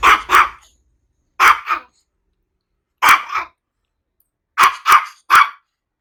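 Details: Maltese dog barking in sharp pairs of quick yips, four bursts spaced about a second and a half apart, with silence between them.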